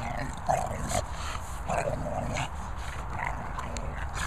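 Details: Two Staffordshire Bull Terrier puppies, Esme and Leo, give short, mid-pitched whimpering and growly yelps, about five brief calls within four seconds, over a steady low rumbling background noise.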